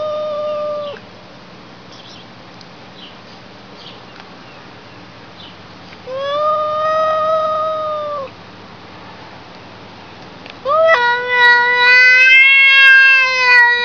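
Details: Three long, sustained cat meows are separated by pauses of several seconds. Each is a steady, level wail, and the last is the loudest and brightest, starting with a quick upward swoop. There is faint background hiss between calls.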